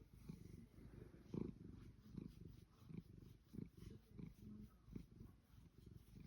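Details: A Savannah cat being fussed and petted purrs in ecstasy, close up: a deep, continuous, low buzzing rumble swelling in regular pulses, each under a second.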